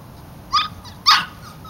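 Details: Labrador Retriever puppies from an October litter, two short sharp high yelps about half a second apart, each a brief bright burst.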